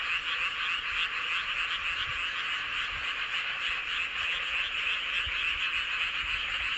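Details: Many frogs calling together under a full moon in Seowon-myeon, Hoengseong County, Gangwon Province, South Korea; a dense, unbroken wall of high trilling croaks with quick overlapping pulses, steady in loudness throughout.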